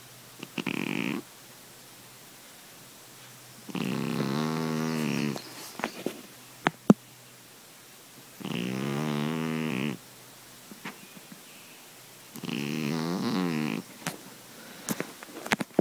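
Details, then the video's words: Pet cat asleep and snoring like a grown man, four long rough rasping snores roughly every four seconds, each lasting over a second, with quiet stretches and a few small clicks and taps between breaths. "Snoring kitty"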